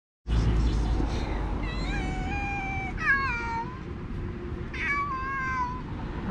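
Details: Angry street cats meowing at each other while fighting, with sudden attacks, hissing and clawing; several drawn-out, wavering meows with falling ends around two to three seconds and near six seconds, over steady low background rumble.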